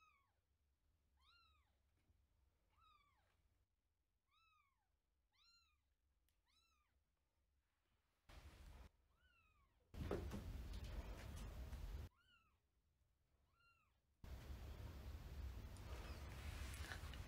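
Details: Older house cat in a new month-old grey kitten's space just after they met; a steady series of about eight clear arched meows repeated every second or so, followed by bursts of handling noise and a woman's voice.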